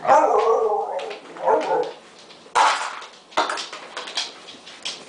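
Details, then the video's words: Six-month-old rescue mixed-breed puppy, thought to be German Shepherd, Husky and Beagle, howling with excitement while waiting for breakfast; wavering mid-pitched whines and howls in bursts, with a woman speaking over them and household noises. "Excited puppy makes funny howling noise"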